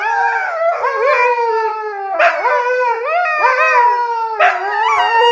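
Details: Two Siberian huskies argue in a stream of rich, warbling howls, each phrase swooping upward then bending down. Loud, continuous dog 'talking' comes in roughly one-second bursts.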